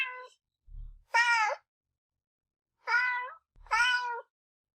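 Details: Pet kitten at home giving three drawn-out, harmonic meows spaced about a second apart, with faint low thumps underneath and otherwise quiet room.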